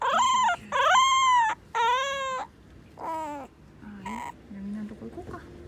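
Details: Short-bodied, American-type French Bulldog whimpering: four loud, tonal, arched cries in about three seconds, rising then falling, followed by softer whines and faint low rustling.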